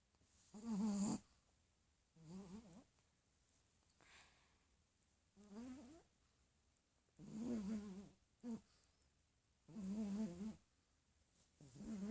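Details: A pug asleep indoors snores in rhythmic low rattling breaths, about six snores spaced one to two seconds apart, some louder and longer, with near silence between them.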